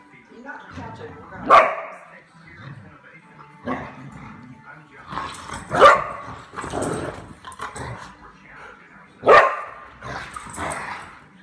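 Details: A pet dog barking while playing with another dog at night indoors; three sharp single barks spaced about four seconds apart, with quieter scuffling and low grumbles between them.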